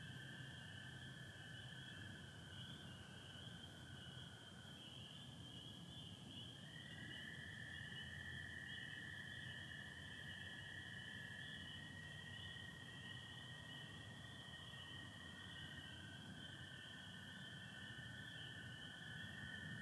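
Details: Spring peepers in full chorus on an April night in Michigan, 2025, with American toads: a continuous piercing high band, while lower toad trills overlap and shift pitch slightly as one caller gives way to another.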